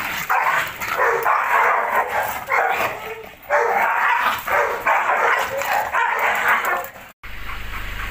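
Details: Belgian Malinois named Max giving rough, dense growling barks in long sustained bursts broken by brief pauses, the sound cutting off sharply near the end before quieter continuation.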